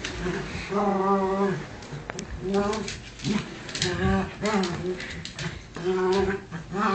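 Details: Two dogs, Bunny and little Cookie, play fighting indoors; drawn-out harmonic growling vocalizations repeat in bursts of nearly a second, separated by short pauses and scuffling noise.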